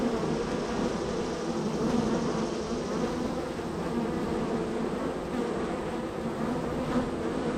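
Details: Extremely active honey bees coming and going at the entrance of hive number three; a thick, constant buzzing hum of the crowd at the hive, with a few sharper passing wingbeat buzzes over the steady drone.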